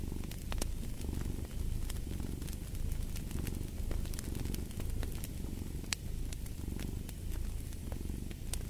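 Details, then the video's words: Cat purring close and loud, a rich low rumble that rises and falls in regular breathing rhythm, accompanied by sharp sporadic crackles from a wood fire in a fireplace. "Fall asleep to the Purring of a Cat & Fireplace"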